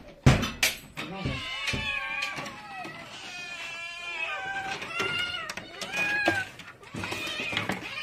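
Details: Several hungry domestic cats meowing at feeding time indoors: drawn-out, wavering harmonic meows overlapping one another, mixed with a person talking and sharp clatters.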